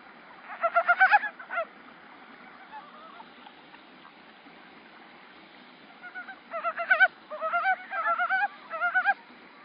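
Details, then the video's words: A male montane brown frog calling in a rice paddy in early spring, 8 March 2013, gives short bursts of rapid, chuckling, rattled notes in two separate runs. "早春の水田で鳴くヤマアカガエル"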